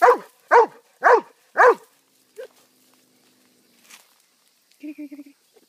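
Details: Pet dog barking: four sharp, loud barks in quick succession, a softer single bark after a pause, then a brief whining yelp near the end.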